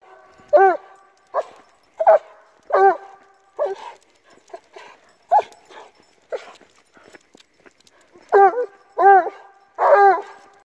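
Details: A Treeing Walker Coonhound out on a walk bays in a run of ringing, arched yodels with brief pauses between.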